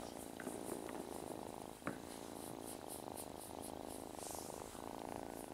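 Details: Foster kitten purring steadily indoors, a continuous low rumbling purr with faint pulsing and a brief soft click partway through.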